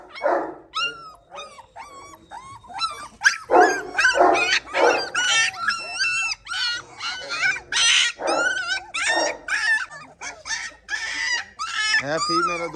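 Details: Gultair dogs, a male and a pregnant female at a kennel, give dense runs of high, sliding whines and yelps, several per second, with a man talking and brief music between them.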